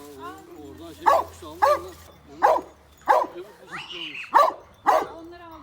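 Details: A pet dog on a family farm barks repeatedly, about six sharp, loud barks spaced roughly half a second to a second apart, while a person speaks Turkish in the background.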